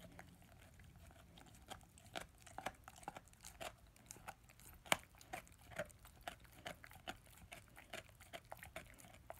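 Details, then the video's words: Male German Shepherd/Labrador puppy, ten months old, chewing his first bone; sparse crunching clicks spaced irregularly, one sharp loud crack near the middle, otherwise quiet gnawing. "ASMR Dog chewing on bone"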